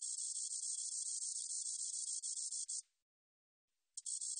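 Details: The 2020 National Institute of Biological Resources recording of a spotted meadow katydid holds one sizzling high trill of nearly three seconds with a slightly pulsed texture. A second of silence follows, then the buzz starts again.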